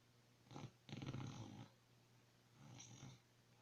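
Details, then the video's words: Dog snoring in its sleep: a short rasping snort, then a longer rumbling breath, a pause, and another softer raspy snore near the end. "Snoring Dog"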